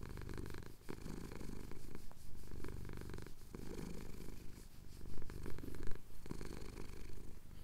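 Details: Male pet cat purring as his chin is scratched, Cotswold hills at sunrise; continuous deep vibrating rumble with rhythmic breath cycles, a few brief clicks and rustles over the low drone.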